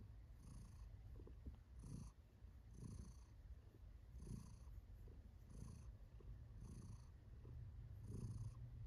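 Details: Kiwi, a female cat, purring in contentment; steady low vibrating rumble rising and falling with her breathing, roughly eight regular swells, recorded close up indoors.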